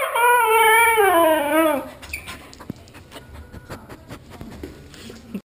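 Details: Male Siberian husky, indoors, answering a request to speak and talk of a walk: a drawn-out whining howl with wavering pitch, sliding downward over about two seconds, then quieter shuffling sounds.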